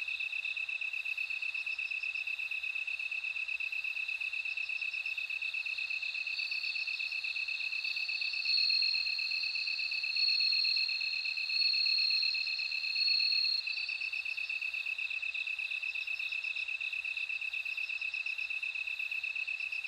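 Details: Bell cricket song: a few ringing, silvery trills rise out of a constant high-pitched insect chorus near the middle, then fade back into the even background hum.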